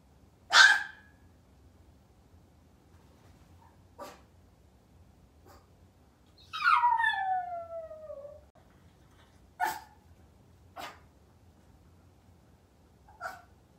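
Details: A Maltese puppy left alone at home, waiting for its family, gives a sharp yelp, then a drawn-out descending whine, between scattered short clicks and knocks in a quiet room.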